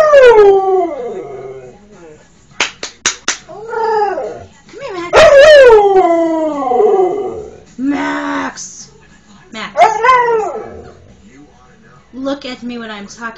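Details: Domestic dog howling in a series of short, falling, wailing notes with brief sharp clicks between, answered by a man speaking to it in a scolding, coaxing voice.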